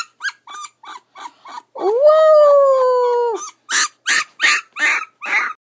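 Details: Ten-day-old puppy whining in quick repeated chirping cries, rising into a clear drawn-out howl of nearly two seconds, then ending with a burst of harsher, noisier yelps.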